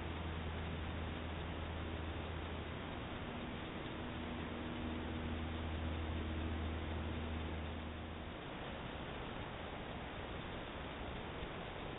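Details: Steady hissing noise with a low hum and no animal sounds heard.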